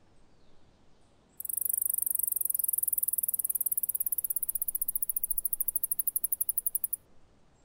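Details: Alston's singing mouse singing at normal speed: a sudden, very high, fast buzzing trill of rapid repeated notes lasting about five seconds, slowing slightly and fading near the end, over a faint background hum.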